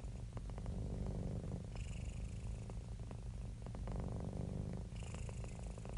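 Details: Happy, relaxed domestic cat purring: a continuous low rumbling throb, steady and even, with soft breathy swells between inhale and exhale phases roughly every three seconds.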